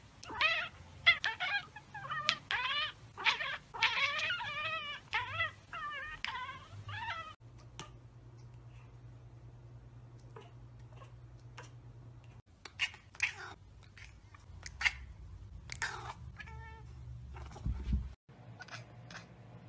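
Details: Cat chattering on seeing prey such as a bird or insect it cannot get to: rapid run of bright, repeated clicking chirps over the first seven seconds, then quieter scattered clicks and a low hum.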